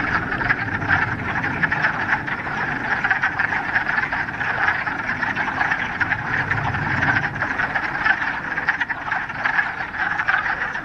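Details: Many frogs in a Ramapo Mountains pond, middle of March, first warm day of spring following a week of rain, fill the air with an unbroken, overlapping chorus of raspy croaks, thick and steady throughout with no other animals heard.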